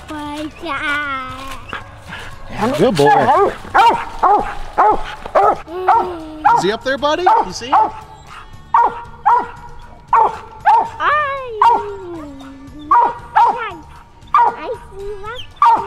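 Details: Coon hunting dogs, a mountain cur and a Walker female, out with a family. A run of sharp barks repeats at a steady clip, with people talking over the early part.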